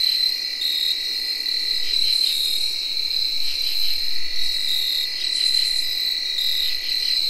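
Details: Tree crickets whirring on an early October night in 2021, one smooth, sustained shrill trill. Rasping katydid phrases repeat over it, and field crickets chirp along.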